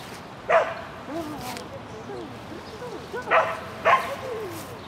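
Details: Shetland Sheepdog named Lesya running an agility course at the Spring 2016 event on 22 May 2016: three sharp, high barks, one early, then a quick pair about three seconds later, with a low human voice murmuring throughout.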